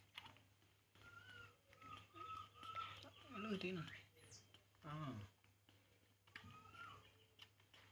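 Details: Poo, a baby monkey, cries while drinking milk, giving thin whistled whimpers in quick succession, some rising and falling, mixed with a person talking and soft tapping noises.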